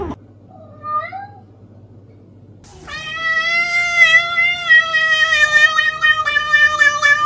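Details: Cat in a humorous compilation of cats acting like people: a faint short rising meow, a pause, then a loud, long, steady drawn-out yowl with slight wavering, held for about four seconds indoors.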